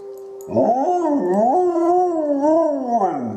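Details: Dog named Izzie answering wolves with a long, full-throated howl that swells in after a quiet start, undulating gently in pitch with layered voices throughout, then sliding downward at the end.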